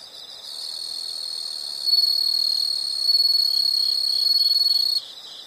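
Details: Insect calling in a nature sound recording: a sustained high trill runs for about four seconds, with a faster pulsed texture and slight swells, above softer background chirps.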